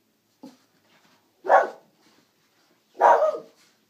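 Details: Pet Brussels Griffon dog, freshly given a new haircut, giving two short, sharp barks about a second and a half apart after a soft opening yip, in a quiet room.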